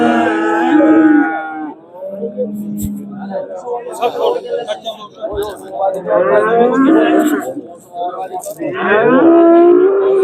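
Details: Cattle at a livestock market in Andijan, Uzbekistan, on Saturday 5 April 2025. Several long, low, drawn-out moos with rich overtones come one after another, each lasting over a second, mixed with men bargaining and background music.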